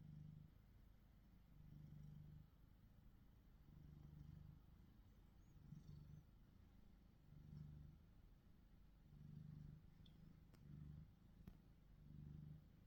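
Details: Deep rumbling purr of a male domestic cat, Tom or Charlie, black-and-white shorthair and gold British Shorthair, on a Samsung Galaxy S23 Ultra; pulsing in uneven breath-linked bursts, with a couple of soft ticks and rustles.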